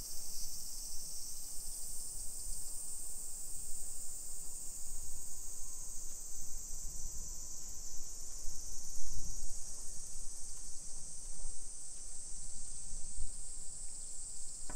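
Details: Summer cicadas fill a suburban Nagoya neighbourhood in Nisshin, Japan, on a July 2021 afternoon. A sustained shrill whirring chorus runs throughout with little change, layered over low rumbling footsteps and distant outdoor noise.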